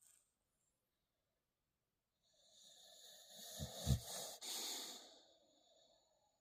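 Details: Shadow, a dog trying to sleep, lets out a loud snore after two seconds of silence: a rough, hissing breath that builds, then a few deep rattling snorts and a throaty burst before it trails off.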